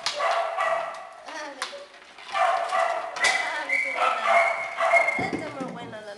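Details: Shelter kennel with small dogs and puppies, several voices overlapping: continuous high-pitched yipping and drawn-out tonal whines, some notes held steady and others sliding, with sharp yaps breaking through throughout.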